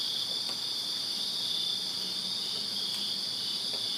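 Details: Many crickets trilling together on a summer night in a Virginia backyard, an unbroken shrill drone holding steady throughout, with a few soft clicks and taps under it.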